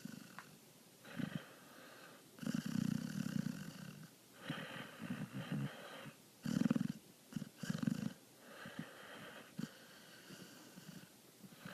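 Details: Sleeping dog snoring, also twitching and rolling its eyes in sleep; low rumbling snores in irregular bursts, the loudest around three, six and a half and eight seconds, with quiet gaps between breaths.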